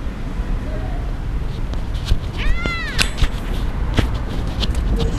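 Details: Tiny motherless kittens found on the street, excited at feeding time, one clear rising-then-falling meow midway through, among clicks, taps and steady background noise.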